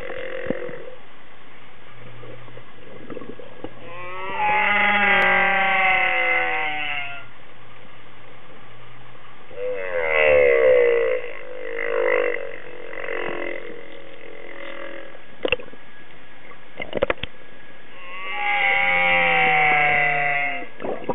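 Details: Humpback whale singing, recorded thirteen years earlier: long moaning phrases with stacked harmonics, some rising and falling sweeps, separated by quiet gaps, with a few sharp clicks and knocks between phrases.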